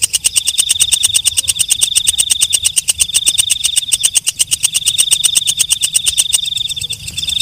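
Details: Walang kecek, a night katydid heard at night: a fast, steady train of dry, ticking pulses, each with a bright ringing tone, repeating about three times a second, loud and high, with faint low rumble beneath.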